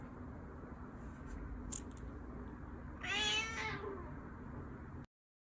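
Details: Persian cat indoors giving a single short, rising then falling meow of under a second after a quiet stretch, with a faint steady hum in the room and a soft voice nearby.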